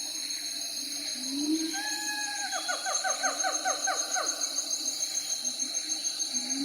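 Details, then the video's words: Siamang call: a held tone breaks into a fast burst of short downward-sliding hoots, several per second, then quieter scattered notes, over a steady shrill background drone. "Siamang Monkeys Ambience Sound Effect"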